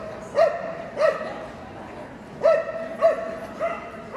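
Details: Löwchen at an AKC conformation sweepstakes breed judging, Kentucky Exposition Center, Louisville, Kentucky, March 18, 2022: five sharp, harmonic-rich yips spaced roughly every half to one and a half seconds over faint indoor hall murmur.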